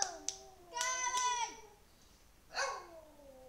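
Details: Elvis, an 11-year-old male Lhasa Apso pet dog indoors, sings in wavering tonal howls: a low drawn tone, then a brighter harmonic wail that slides down, a brief pause, and a final falling moan, with faint clicks nearby.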